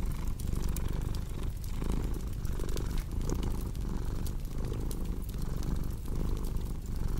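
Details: Low, rumbling cat purr rising and falling in steady breathing rhythm, partly masked by a busier crackling fire with frequent bright snaps and pops.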